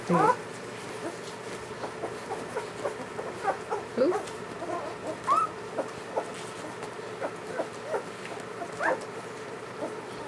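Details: Newborn German Shepherd puppies from Ulra's first litter whimper in short, high, rising squeals. About four clear cries fall across ten seconds, with fainter mewing between them, over a steady indoor hum.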